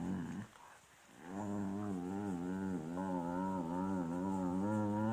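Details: A beagle gives a long, wavering, moaning whine that rises and falls like complaining speech, protesting at having his tummy rubbed.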